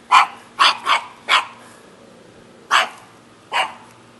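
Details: Loud, harsh barks from a shaggy dog in Jeonju, Korea: a fast cluster of four, a short gap, then two more spaced barks, each a brief bright burst.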